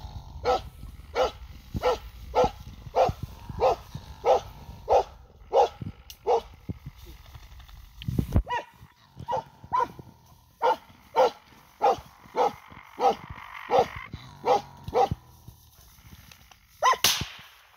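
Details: Finnish Hound giving tongue while driving game on a raccoon dog hunt on the season's opening day, 27 August 2022. Steady series of sharp barks, roughly one and a half per second, with a brief break midway and faint rustling.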